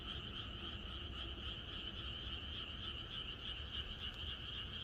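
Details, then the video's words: Frogs calling en masse on a rural night before rain, their croaks blending into a near-continuous, shrill buzzing drone with only loose pulsing and a faint lower layer. "비가 오려나?이것이 자연의 소리 ~개구리들의 합창"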